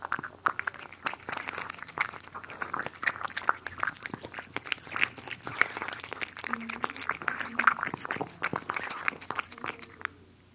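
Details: Cats eating, recorded close up for ASMR indoors: dense crisp crunching and clicking chews in quick irregular bursts throughout, with a few soft wet smacks near the end in a quiet room.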